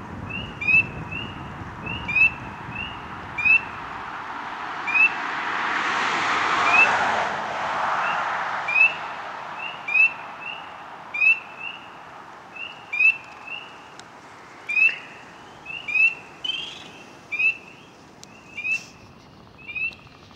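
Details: Close-range frog calling in water, making ripples around itself; a steady series of short whistled chirps with quick rising sweeps, evenly repeated, while a passing vehicle swells and fades in the middle of the recording.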